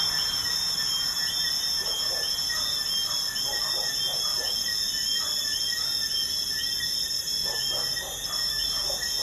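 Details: Crickets calling at night by a busy highway: dense, continuous high trills in several stacked bands, rapidly pulsed, with only faint traffic hiss underneath.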